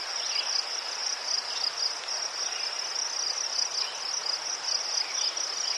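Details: Crickets in Ukraine, among chrysanthemums: a continuous high, shimmering trill held on one steady pitch, dense and unbroken, with faint softer background rustle.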